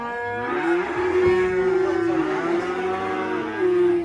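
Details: Sacrificial black cow coming down from a truck at a rural cattle pen, lowing in one long, steady, resonant moo that holds an even pitch for nearly four seconds, slightly rising at the end.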